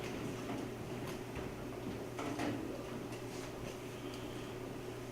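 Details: Steady low indoor hum with a few soft knocks and clatters, and no animal sound.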